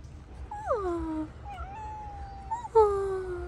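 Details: Hungry street cat, one of two famished strays eating; three clear meows, each sliding downward from a higher start into a drawn-out lower tone, the last loudest, over a low background rumble.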